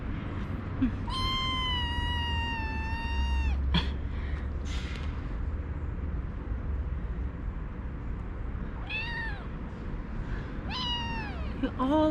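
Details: Kittens in a cage, recently brought in by a city vet after treatment, meowing just after waking up before being fed: a long loud harmonic meow held over two seconds, then shorter falling meows near nine and eleven seconds, over steady low hum.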